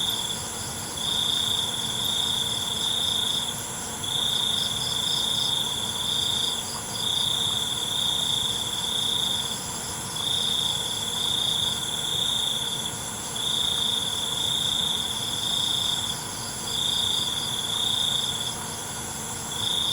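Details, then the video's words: Crickets chirping at night, a soothing natural ambience: piercing high trills in long pulses broken by short silences, about nineteen per minute, set against an unbroken background drone of many insects. "ALUNAN CENGKERIK MALAM"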